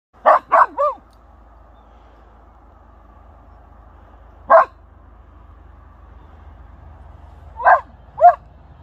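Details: Excited whippet meeting another whippet, letting out sharp high yelping barks: a quick burst of three, then single barks after long pauses, over a faint steady hum.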